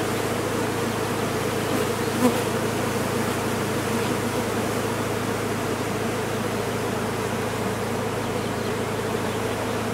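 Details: Large honey bee colony being removed from a sealed-off chimney, giving a dense, steady, low buzzing hum of many bees that fills the whole recording without pause.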